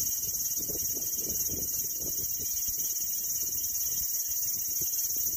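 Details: Continuous shimmering high buzz of a cicada, even and unbroken from start to finish, with a faint low murmur of background noise.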